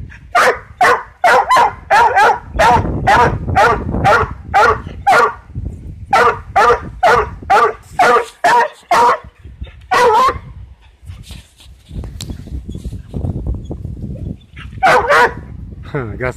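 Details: Coonhound chasing a cat: loud, ringing harmonic bays repeated about twice a second in a steady run, a short pause near the middle, then a final pair of bays over low rumbling background noise.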